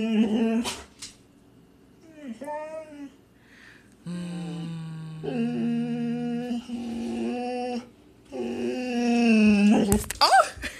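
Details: Female Boxer dog at play, excited by her owner's raised knuckles. Drawn-out tonal whining and grumbling vocalizations come in several bursts of one to two seconds each, mixed with a person's voice and a steady low hum.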